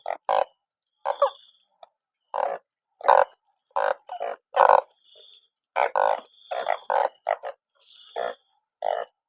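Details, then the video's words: Many banded bullfrogs after rainfall, gathered in such numbers they are caught by the sackful; loud, clipped honking croaks, some doubled, follow each other in uneven bursts over a thin continuous high tone. "อึ่งอ่าง เยอะจัง😮ฝนตกจับอึ่งได้เป็นกระสอบ"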